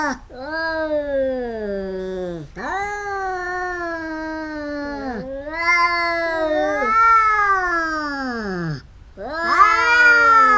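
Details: Fighting domestic cats locked in a biting quarrel give loud, sustained yowls that sag in pitch, overlapping wails of two voices trading long moaning calls with short gaps.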